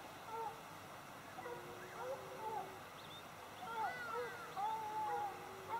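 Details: Hounds in full cry on the trail of bushpig. Overlapping long, wavering bays rise and fall, with several voices calling at once and repeating irregularly, heard from a distance over a constant outdoor hiss.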